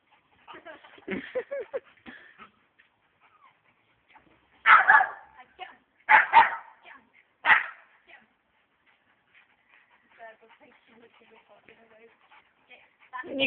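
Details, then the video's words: A big dog and a small friend's dog playing, not fighting, the big one scared of the small one's size; four loud, harsh barks come in short bursts, with softer whines and yips and a human voice in between. "big dog scared of small dog!!"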